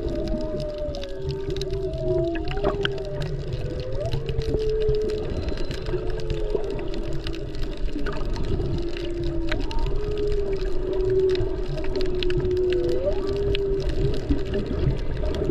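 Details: Humpback whales, mostly mothers with calves, heard underwater while snorkeling off Maui during peak whale season in February; long moaning tones that rise and fall and overlap, with steady low water rumble beneath.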